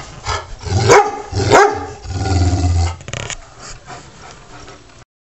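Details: Taz, a pet dog, being tough with the house cat Sky; two sharp barks near the start, then a sustained low growl lasting about a second before fading.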